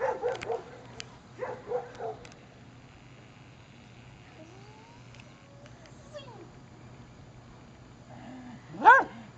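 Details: Bailey, a pet Beagle, playing rough with his Poppa; a few short yelping barks early on, quiet rising whines in the middle, then one loud sharp bark near the end, with a low steady hum underneath.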